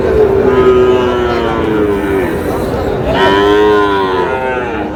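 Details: Sahiwal breed bull calves bought by a farmer in Tangail, Bangladesh, 20 August 2026: two long, loud, rich moos, the first holding steady then slowly falling, the second swelling and sliding down, with steady crowd murmur behind.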